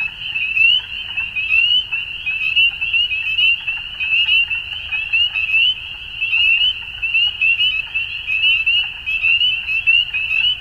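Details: Spring dusk in Ontario, Canada, with a full frog chorus: shrill rising peeps from many callers blend into a continuous high ringing, swelling and dipping in uneven waves over a soft low background hum.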